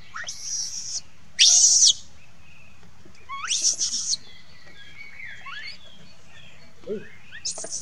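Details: A crying monkey calls for its mother with loud, piercing screeches in long bursts of about half a second, the strongest near the start, separated by quiet stretches holding faint whistled tones.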